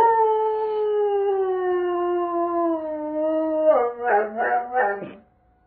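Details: Doberman Pinscher howling in response to a monthly Saturday tornado siren test: a long, steady, slowly falling tone held for nearly four seconds, then broken into wavering, yodelling pulses before it fades out.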